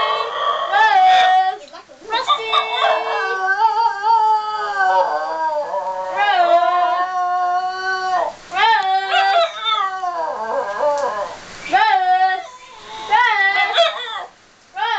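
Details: Basenji howling: a run of wavering, yodel-like tones that slide up and down in pitch, broken by short yips and gaps, with occasional human voices in the background.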